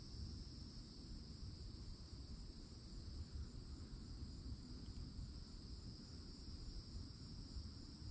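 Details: Cicadas in summertime at a forest edge in Florida, heard from an old oak tree: a steady, unbroken high-pitched drone holding two thin shrill tones over a constant deep low rumble.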